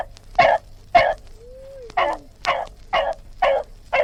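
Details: Dog barking: eight short, sharp barks repeated about every half second, with a faint sliding whistle-like tone rising and falling between the second and third barks.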